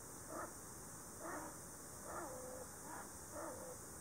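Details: Five short, faint whining cries from an Ezo sable, one of a likely breeding pair in a tree hollow, Shiretoko forest, July 2018, mating-season calls mixed with threat; a quick sequence of tonal yelps, some with a falling tail.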